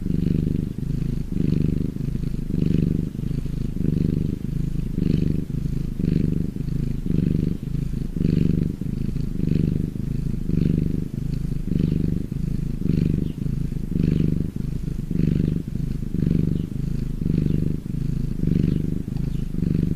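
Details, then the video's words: Domestic cat purring when happy, a low throbbing drone pulsing with its breathing roughly once per second, around eighteen even swells, close and uninterrupted. "CAT PURRING SOUND"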